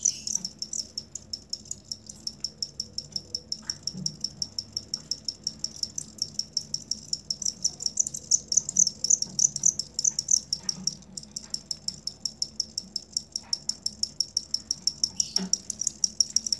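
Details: Cricket chirping, recorded as tutor material for songbirds kept by bird hobbyists: a steady stream of short, high-pitched pulses, several per second, continuing throughout, with faint low background rumble and a few soft knocks.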